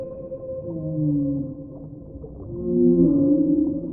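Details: Whale giving low, drawn-out moaning tones, two swelling groans that slide and overlap in layered bands, with a quieter gap between them and a steady underwater rumble beneath.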